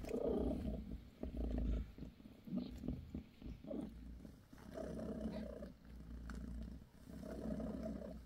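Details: British Shorthair mother cat purring while massaging her kittens; low, rumbling, pulsing purr in long phrases separated by short breaks, with faint soft rustling.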